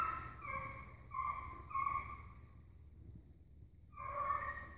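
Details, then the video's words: Dogs baying while chasing an agouti. Long, clear, sustained tonal notes repeat in a row, then a pause of near silence before another strong drawn-out bay begins. "cachorrada correndo cutia"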